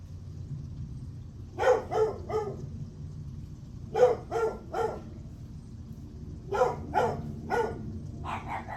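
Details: Morning barking from a dog, July 9 at 8:38 am: three clusters of two to three abrupt barks spaced a couple of seconds apart, a low hum underneath and a brief higher tonal sound at the very end.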